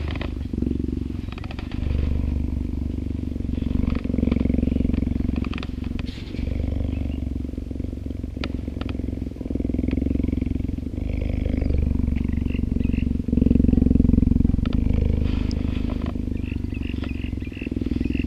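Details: A 10-month-old female captive-born cheetah in a breeding project purrs in a deep, steady, rumbling drone while getting close attention from a man in an open yard on a summer day, his voice heard now and then.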